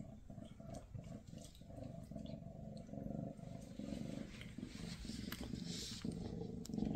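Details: Purring from Maine Coon mama Freya spending time with her kittens before they leave for new homes; a deep, rhythmic throbbing purr runs unbroken, swelling gently in breath-length cycles.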